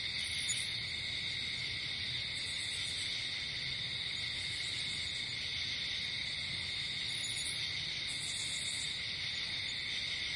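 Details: Crickets chirp through the night in nature, a continuous piercing trill underlaid by steady tones, while short, very high bursts of pulsed chirps appear roughly every two to three seconds.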